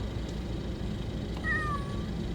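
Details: One drawn-out, falling meow from a cat responding when spoken to, against a constant low background hum.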